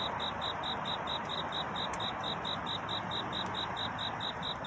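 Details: Cricket singing at night to find a mate, a dawn scene: a rapid, even train of high, ringing chirps, roughly four per second, over a steady broadband hiss, with a couple of brief clicks.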